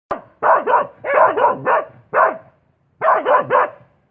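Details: Dog barking in short clusters of two or three sharp, rasping barks, about ten barks over four seconds, separated by brief silent pauses.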